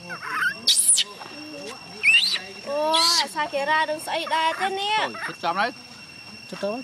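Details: Young chimpanzee Gina crying to keep her carer from leaving for home: harmonic whimpers that rise and fall in arches, broken by short shrill screams, while a person talks softly nearby.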